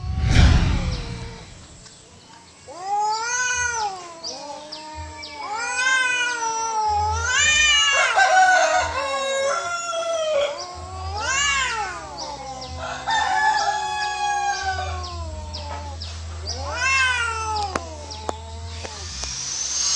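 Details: Free-roaming domestic cats fighting, an orange cat losing; long drawn wavering yowls rise and fall in overlapping bouts, with several voices trading howls over a low hum.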